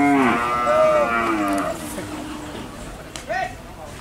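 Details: Cattle riding in a vehicle between Indonesian markets give a loud wavering moo that bends in pitch and trails off, then a brief second bellow, with vehicle rattle underneath.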